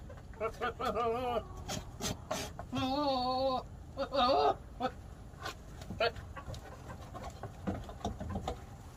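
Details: A male Nigerian dwarf goat (Capra hircus) gives three strained, wavering bleats with shaky vibrato over about four seconds. Short clucking and faint background noise follow. The owner is unsure why he makes these odd noises.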